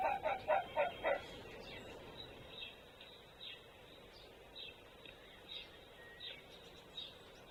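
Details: Male red fox barking on 26 February 2024, a territorial call: a burst of five sharp, hoarse barks in about a second, then fainter answering barks spaced out over a low steady background hiss.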